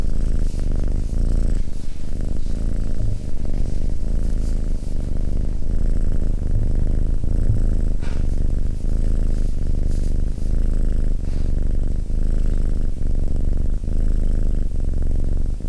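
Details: Calm Abyssinian cat resting next to its companion and purring continuously: a low, throbbing rumble with a regular rise and fall, even and unbroken from start to end, in a quiet indoor setting.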